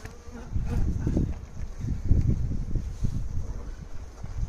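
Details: Honey bees at the Santeny apiary during a hive inspection, with bees inside the feeder as the cover board is put in place: a low, droning hum with a faint steady tone early on, over rustling handling noise.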